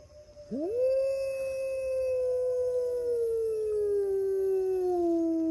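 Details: Gray wolf howling on a misty morning at a wolf park, answered by the pack from far corners of the park: one long, smooth, steady tone that rises sharply at the start, then slowly falls toward the end.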